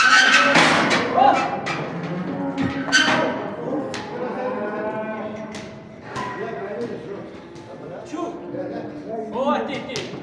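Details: Cattle among a lot of 65 calves and heifers being bought in Kars, Turkey, for sale to Mardin: several overlapping, drawn-out moos, some rising and others falling, with thuds and faint music behind.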